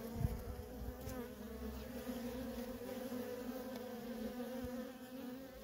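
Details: Feral colony of honey bees, workers coming and going nonstop; an even, droning buzz with clear harmonic bands holds throughout, one sharp close pass at the start.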